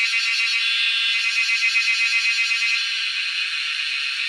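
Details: Wild cicadas, making noise while being hunted: a loud, steady, high buzzing drone that throbs rapidly, about four pulses a second, with no other sounds.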